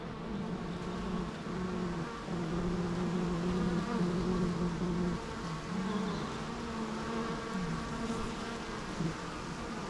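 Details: A steady bee drone, low buzzing tones gliding slightly up and down across ten seconds, many insects humming together.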